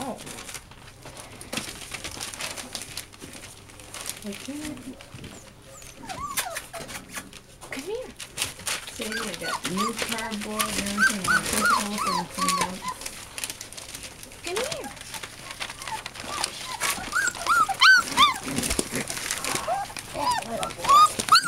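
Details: American Bulldog and Siberian Husky puppies, eight in all, indoors in a small room; high arched whimpers and whines rising and falling in quick repeated bursts, mixed with a person talking and some handling noise.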